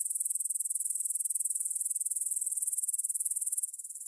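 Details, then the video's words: Stridulation of grasshoppers at 9pm, 6 September 2020, in a field beside the Svensky monastery, Bryansk, Russia, Tascam DR-44WL stereo; very high, rhythmic rasping pulses in quick succession, fading to a quieter layer after about three and a half seconds. "кузнечики на лугу – Grasshopper Sounds in the Field"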